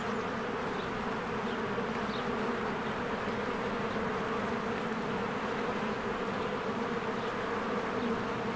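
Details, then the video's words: Swarms of honeybees working at a cozy hive in spring, producing a continuous low buzzing drone of many wings, broken only by a few brief faint bird notes overhead. "1 Hour of a Beehive ASMR"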